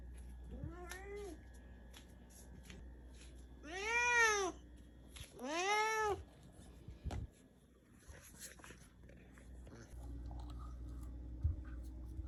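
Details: Indoor cat that has dashed over, believing a potassium supplement is a snack, utters a short meow, then two loud, drawn-out arched meows close together, followed by rustling and handling noises.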